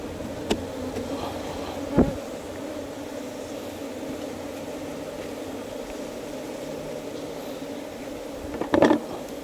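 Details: Steady droning buzz of wild honey bees kept in a hive box, with occasional clicks and a rustling burst of handling near the end.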